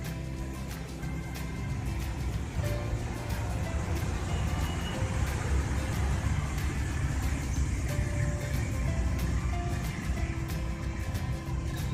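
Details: Steady low engine-like rumble with faint melodic tones above it, no animal voice heard.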